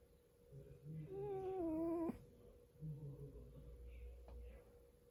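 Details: Meekah, a pet cat asleep and dreaming indoors, lets out a thin whiny tonal cry lasting about a second, wavering then dropping off sharply, with soft low rumbling snore-like pulses before and after in a quiet small room.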